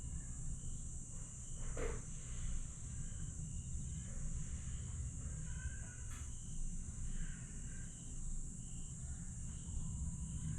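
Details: Summer-night grass insects at Aewol, Jeju, recorded 22 July 2022: an unbroken high ringing drone with faint repeated chirps, two sharp knocks and a few brief calls, over a pervasive low rumble.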